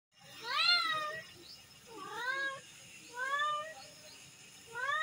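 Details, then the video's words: Kitten mewing: four clear, high, bending meows, each rising then falling, spaced about one to one and a half seconds apart, the last one cut short at the end; quiet room with little background noise. "Cat Mewing Videos"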